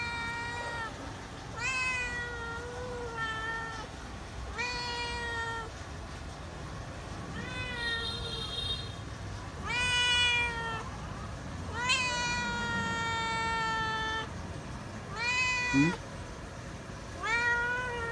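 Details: Feral cat meowing while waiting for food, also wary of people: repeated drawn-out harmonic meows, about one every two seconds, some rising then falling, over a low steady background hum.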